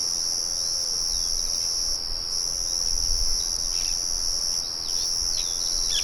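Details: Cricket chorus outdoors with birds and the murmur of a mill behind; an unbroken shrill, high trill dominates, brief bird notes break in now and then, and a low rumble rises midway.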